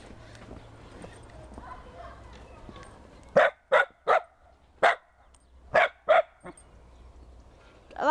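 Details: Pembroke Welsh Corgi playing in snow, told to run by its owner; a burst of seven sharp, high barks in quick uneven succession, then the owner speaking, telling her to hush.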